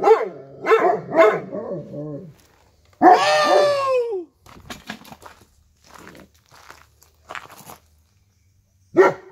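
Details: Dogs barking indoors: three quick, sharp barks in the first two seconds, then a longer bark sliding down in pitch, a stretch of faint shuffling noises, and one more loud bark at the end.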